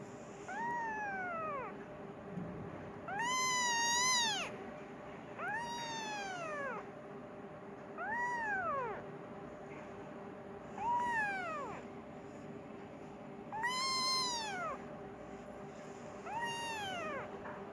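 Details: Hungry Persian kitten calling for its mother, giving repeated short arched meows with bright harmonics, roughly every two to three seconds, over a constant faint hum.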